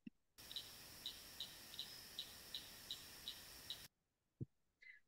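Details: A tiny cricket frog, very common in the swamp where it was recorded, gives a steady series of about ten sharp, high clicks, roughly three per second, over a constant background hiss.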